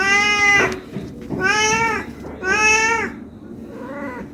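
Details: ['Four loud, plaintive meows from a hungry cat asking to be fed. The last meow is quieter and shorter, with a quiet indoor background.']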